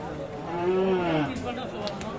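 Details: Sahiwal bull at the Aftabganj cattle market, Nawabganj, Dinajpur, Bangladesh, on 11 October 2022, lets out a short moo, rising then falling over about half a second, amid steady crowd chatter.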